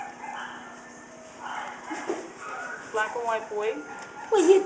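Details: Shih Tzu puppies playing; a puppy gives thin high whines and a short yip near the end, under a woman's continuous coaxing speech and background hum.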